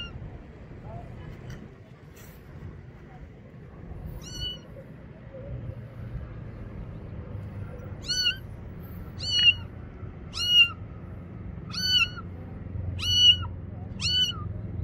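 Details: Little kitten, afraid of the bathroom and hiding behind a motorcycle, cries for help in a run of short, high, slightly falling meows, sparse at first then about one per second, against low background hum.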